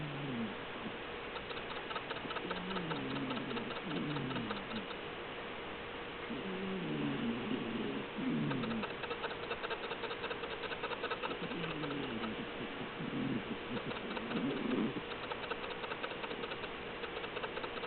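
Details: Melinda, a pet cat, snoring while asleep: rough, low rasping breaths come in quick bursts roughly every two seconds over a constant faint electrical hum.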